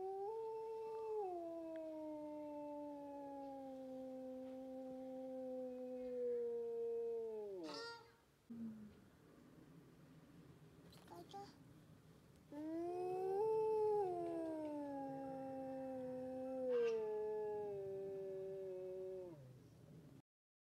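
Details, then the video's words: Two drawn-out wolf howls, each about eight seconds long, starting slightly higher, easing gradually lower and dropping sharply at the close, with a few brief knocks and clicks between them. "le chant des Loups"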